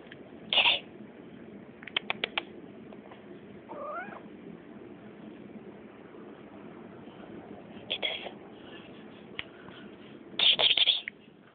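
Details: Remy, a female pet cat, gives high squeaky meows: a short bright burst near the start, another around eight seconds and a rapid cluster near the end, with quiet room noise between.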